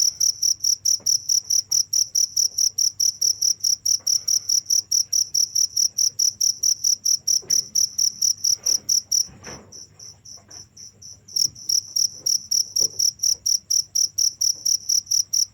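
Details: Cricket calling in continuous rapid high chirps, regular pulses about twice per second, broken by a two-second gap where only a fainter, slightly higher chirp continues before the main chirping resumes; faint low hum.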